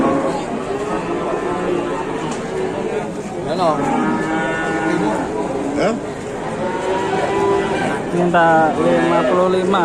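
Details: Cattle at a livestock market, several animals lowing in overlapping, wavering harmonic moos, with rising bellows near the middle and end, over steady crowd chatter and background voices.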